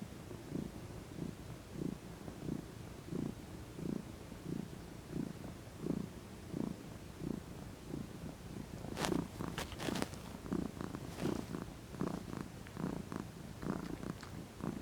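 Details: Sunbathing female house cat stretching and rolling while she purrs. A deep, pulsing rumble repeats steadily through the clip; sharp clicks and rustles break in over the later part.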